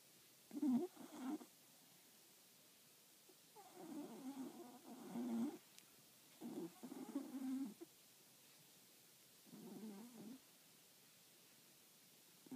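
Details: A four-year-old solid black, velvet-coated Cocker Spaniel snoring indoors: rough, breathy rasping bursts, each about a second long, recurring every two to three seconds with quiet pauses between breaths.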